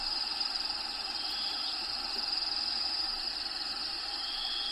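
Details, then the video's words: High, unbroken cricket trilling inside a bearded dragon's vivarium, steady and shrill with slight wavering in loudness, backed by faint even background noise. "RELAXING SOUNDS CRICKETS LOCUSTS NATURAL HABITAT SOUNDS"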